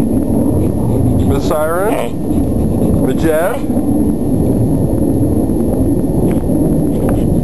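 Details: A dog gives two drawn-out, descending, tonal whines about a second and a half apart, each sliding downward, heard over a constant loud low rumble that fills the whole recording.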